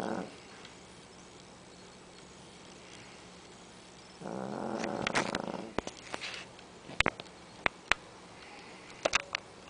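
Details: A 13-pound female dog snores, giving one long, raspy, buzzing breath partway through. Sharp clicks and taps from handling or movement follow, over a steady low room hum.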